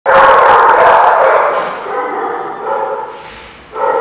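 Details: Dogs in a crowded, reverberant indoor space, with dense overlapping barking forming a continuous loud din that fades slightly before a fresh burst of barks at the end.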